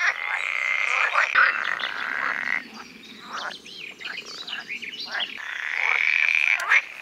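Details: Male pool frogs calling in a group at a Dutch pond on a sunny day to attract females during the mating season; loud rattling croak bursts, a quieter stretch of scattered short calls, then a loud swell.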